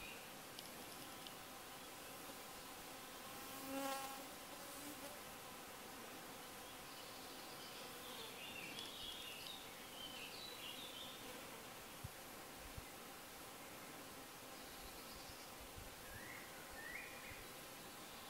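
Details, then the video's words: Hoverflies at a wild campsite in the Schwäbische Alb, Germany: a steady low hum with evenly stacked overtones, swelling briefly as a fly passes close around the fourth second, then fading into faint buzzing, with soft distant bird chirps. "Hoverfly Contest!"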